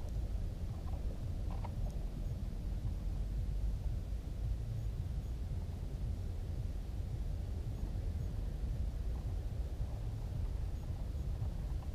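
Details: Steady low rumble of wind and distant engine noise throughout, with no clear animal calls.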